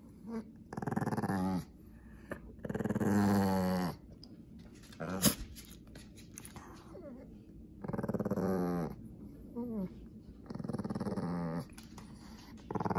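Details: Angry Pekingese guarding his toy mouse indoors: low, harmonic growls rising into snarling bursts of one to two seconds, with quiet pauses and a faint human voice between them.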